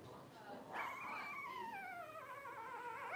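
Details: A 12-day-old blenheim Cavalier King Charles Spaniel puppy from a five-pup New Year's 2023 litter lets out a long whine that starts high and slowly glides downward with a slight tremble, followed by further wavering cries.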